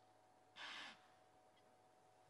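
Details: On a morning drive at Djuma Game Reserve, South Africa, on 28 April 2011, an impala ram chasing a fleeing female gives a single sharp, breathy alarm snort that then turns into rutting noise.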